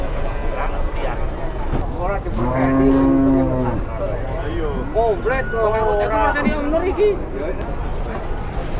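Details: Sapi Grandong cattle running wild while unloaded from a truck in Indonesia; a deep, drawn-out moo swells midway for about a second and a half amid men talking and a vehicle idling.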